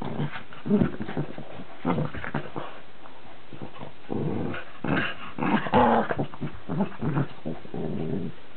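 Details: Cavalier King Charles Spaniel and Cairn Terrier, Charlie and Billy, in a dog war; throaty growls in repeated bursts, louder snarling mid-way, rustling of the tussle in between.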